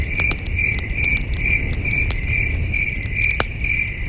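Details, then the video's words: Crickets chirping at night beside a campfire under a starry sky, a steady pulsed high trill repeating a little over twice per second, with crackling fire pops and a low rumbling background. "Camping Under a Million Stars with Soothing Cricket Sounds"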